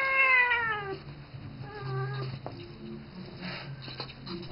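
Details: A seven-year-old house cat named Isis, who treats the young ferret Rambo as her baby, gives one long, falling meow followed by a softer, shorter mew, with a steady low indoor hum beneath.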